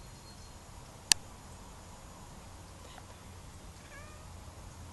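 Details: Pepper, a pet cat watching pigeons outside, making funny noises with her mouth: one sharp click, then a faint, brief rising chirp-like mew near the end over a quiet background.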